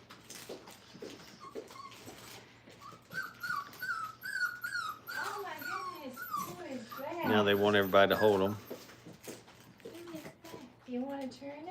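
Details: Five-week-old Brittany puppies learning to crate train whimper indoors: thin, high whines that rise and fall in short repeated slurs, then a louder, harsher yelping burst midway, with human voices in the background.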